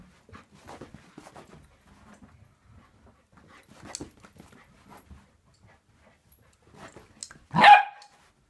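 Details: Indoors, a Samoyed puppy aged 11 weeks is quiet amid low rustling and small knocks, then ends with one abrupt, loud, shrill bark.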